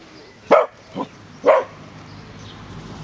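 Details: Pet dog in its own garden barking at people walking by: three sharp, loud barks about half a second apart, the middle one softer, then quiet background.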